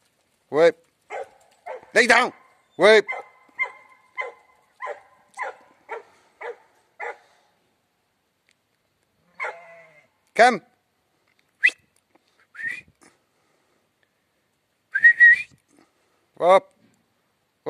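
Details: Border Collie herding and holding ewes that have recently given birth. Repeated short, sharp barks come in bursts, with a series of soft clipped calls in between, whistle-like tones and a handler's shouted commands.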